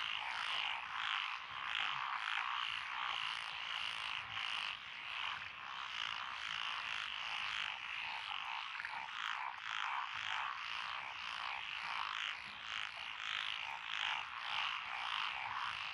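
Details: Dense frog chorus from lotus rice paddies beside a rural road in Echizen, Fukui, Japan, recorded 12 June 2021. Japanese tree frogs, pond frogs, wrinkled frogs and green tree frogs are among the callers. Quick, pulsing croaks overlap without pause, about two per second.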